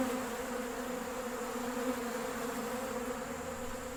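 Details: Western honey bees feeding at a bucket of sugar water on a nice day; a soft, unbroken hum of a crowd of bees, fading slightly toward the end.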